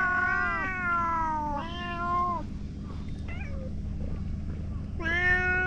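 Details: Boss cat calling loudly so the other cats gather: long drawn-out meows that fall slightly in pitch, two back to back, a short faint call, then another loud meow, with a steady low background rumble.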